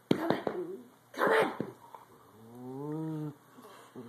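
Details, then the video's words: Cranky female corgi indoors, ordered off the bed, lets out one sustained, low, groaning grumble lasting nearly a second, after short bursts of a person's scolding speech. "Cranky Corgi!"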